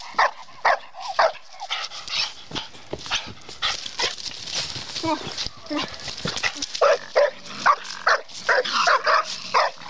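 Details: Bluetick coonhound in raccoon training, a female, gives repeated quick barks mixed with a man's voice calling to her; the barking grows denser and louder toward the end.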